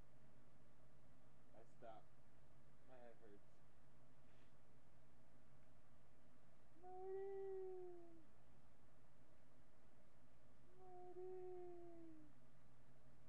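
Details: Webcam recording from July 8, 2011 of Marty the miniature pinscher: two short, wavering howls, each rising then falling and roughly a second long, spaced several seconds apart, with brief murmured voice sounds earlier on.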